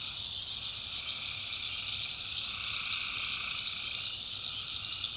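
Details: Tree frogs calling at night in a swamp in the backwoods of North Carolina: a dense, unbroken chorus of high, shimmering trills layered at several pitches, steady throughout, over a faint low rumble.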